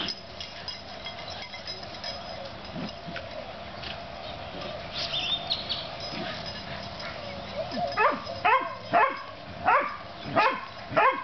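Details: Two puppies, Oreo and Brutus, at play; after several seconds of quiet low background hiss, a run of about six sharp, high, rising yips arrives in quick succession near the end.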